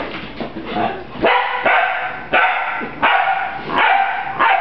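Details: Young dog Rafiiki, a puppy taking on a broom, gives a run of bright yappy barks about every three quarters of a second, with a softer muffled start.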